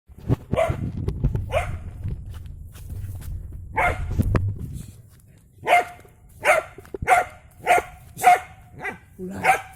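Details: Dog confronting a snake: loud, sharp barks, a few spaced ones over low rumbling noise, then a steady series of about one bark every second.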